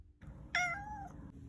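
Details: Domestic cat, an adopted pet kept for five years, giving a single short meow that starts bright and slides down in pitch, about half a second long, over a low steady background hum indoors.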